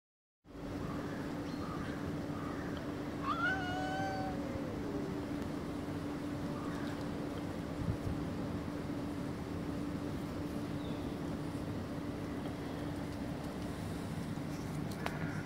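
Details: Cats trying to pull a sausage out of a plastic bottle; one cat gives a single drawn-out, falling meow partway through, over a steady low hum and constant background noise.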